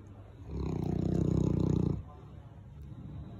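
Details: Sully, a Boerboel, pawing at and pestering his owner because he wants to play and be petted; a deep, rumbling growl-like groan lasting about one and a half seconds, with quiet indoor background.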